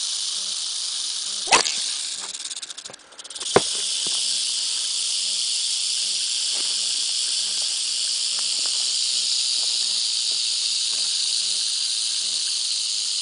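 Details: Attacking rattlesnake shaking its rattle: an unbroken, hissing high-pitched buzz, interrupted near the start by a couple of sharp knocks and a brief dip in level, then steady to the end.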